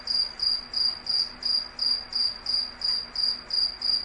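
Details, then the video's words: Rhythmic cricket chirping, each chirp a brief shrill trill, repeating close to three times per second above a faint low drone. "cricket sounds"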